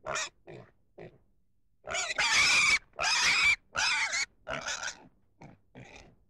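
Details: Pig making brief grunts, then several loud, strained squeals of about half a second each, and finally a few shorter squeaks at an irregular pace.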